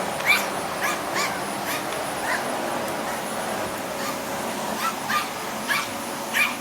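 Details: Spitz dog barking while attacking a running vacuum cleaner: sharp high yapping barks, singly and in pairs, every half second to second, over a steady droning vacuum hum.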